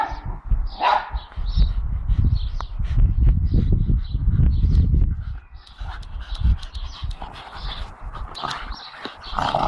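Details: Dexter, a four-month-old blue Staffordshire Bull Terrier, and Milly barking at the neighbours' dogs: rapid, uneven bursts of barks repeated over heavy low rumbling noise.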